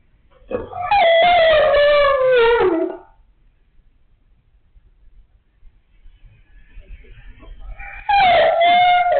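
A Siberian Husky gives a drawn-out, wavering howl, then starts another after a pause.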